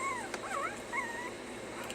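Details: Puppies in a stay lesson give clear high whimpering whines, several wavering and arching tones that rise and fall in quick succession, with a sharp click and a person saying stay nearby.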